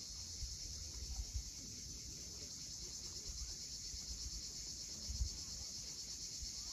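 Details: A sunset cicada chorus at Cape Fiolent on the Crimean coast: an unbroken high shimmering drone with no pauses, while soft surf thuds and rumbles below.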